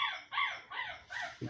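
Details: Siberian Husky puppies, seven weeks old, giving four high, harmonic yipping whines in quick succession, each sliding down in pitch, with a brief soft thud at the end.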